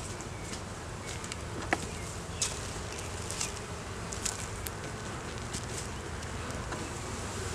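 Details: Honey bees in a beeyard hive, opened for inspection after a month with no sign of a queen, found with a laying queen, honey and brood; filmed on a Canon Rebel T6 DSLR. A low, steady hum with scattered sharp clicks and taps.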